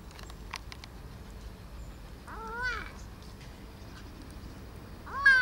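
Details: Young domestic cat, rescued as a tiny kitten six months earlier after its mother abandoned it. Two short meows, each rising then falling. One comes mid-clip and a brighter one right at the end, over a quiet room hiss with faint clicks early on.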